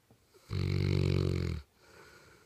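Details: Misha, a St. Bernard crashing on her couch, lets out one heavy snore about a second long, a low rattling buzz that stops abruptly, with soft breathing afterward in a quiet indoor room.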